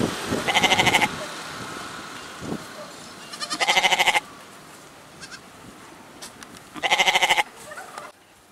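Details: Goat giving three tremulous, wavering bleats, each about half a second long and spaced roughly three seconds apart, over a quiet, rustling background.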